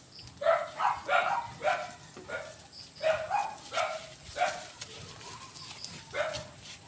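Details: Kid goats bleat during a B-complex vitamin injection of 1 ml each. Bursts of short, nasal cries come in clusters of two or three, fading toward the end.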